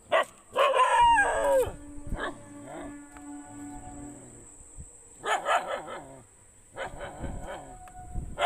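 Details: Several dogs barking, with loud harmonic barks and howl-like yelps in bursts near the start, around five seconds and near the end; a steady high whine runs throughout.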